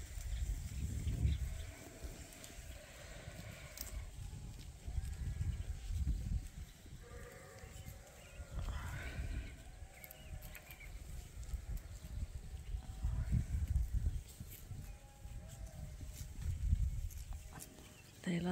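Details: Several bleats from yearling rams at Ewetopia Farms, being released to pasture for the first time this year near a willow tree; quavering, nasal calls come in bursts among shuffling hooves and low background noise.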